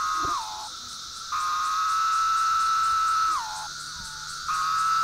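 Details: Brood III periodical cicadas, including Magicicada septendecim, drone in a steady, buzzy chorus beside a roadside memorial in Grundy County, Missouri, on May 20, 2014 (late spring), the tone sagging briefly before swelling back.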